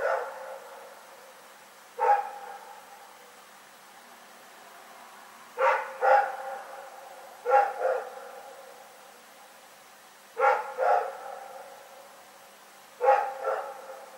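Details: Night-time barking from Rex the dog, February 27, 2018: about ten firm, harmonic barks, mostly in doubled bursts spaced two to three seconds apart, each fading with a brief reverberant tail into a quiet background.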